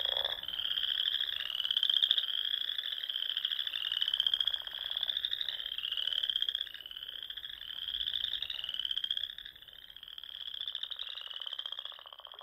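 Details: Frogs calling in spring at dusk among the lakes and ponds of the Nebraska Sandhills dunes; a dense, continuous chorus of high, trilling pulsed calls overlapping in waves, swelling and easing every couple of seconds, with no other clear sounds.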